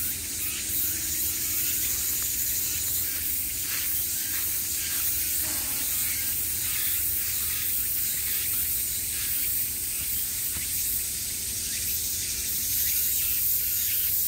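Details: Cicadas at the height of summer, many calling around at once: a bright, continuous high-pitched drone with loose rhythmic throbbing, almost no low sound beneath.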